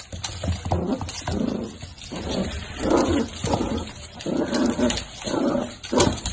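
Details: Miniature dachshund from a breeder's home, giving short muffled whimpering bursts and soft woofs about every half second to second, with low-pitched rumbling underneath and some background clatter.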